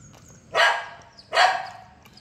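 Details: Saint Bernard puppy, 45 days old, while having curd: two sharp, high, noisy yelping barks about three quarters of a second apart, otherwise near-quiet.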